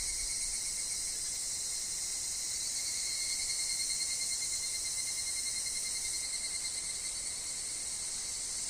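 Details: Evening cicadas (higurashi) in a forest setting with wind and fallen leaves: a continuous sizzling high-pitched drone with a fine rapid pulsing texture and a steady thinner tone below, no pauses throughout.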